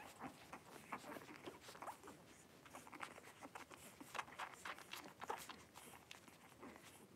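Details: Five three-week-old blenheim Cavalier King Charles Spaniel puppies wrestling and playing together in an indoor puppy pen; brief soft squeaks and grunts pop up irregularly amid constant scratching, pattering paws and rustling bedding.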